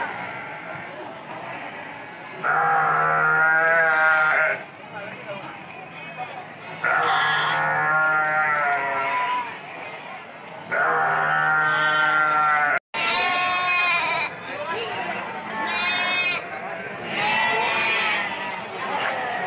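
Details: Sheep at the Andir livestock market in Bayongbong, Garut, held Mondays, Thursdays and Saturdays amid busy sellers and buyers; several loud wavering bleats of about two seconds each, separated by pauses, with people talking in the background.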